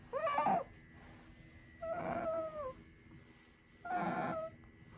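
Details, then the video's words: Pet otter Sakura, a female, whining as she lies down for a nap: three drawn-out, whimpering cries with a slight downward bend at the end, roughly every two seconds, against a quiet indoor background with a low electrical hum. "めっっっっちゃ鳴きながら昼寝に入るカワウソ Otter taking a nap with lots of cries"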